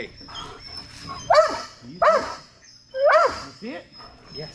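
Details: Strider, a Belgian Malinois, during Fetch-It (Air Retrieve) dock diving practice on 10.25.22: three sharp, high, excited barks spaced about a second apart, each bending up then down in pitch, with softer yelps between them.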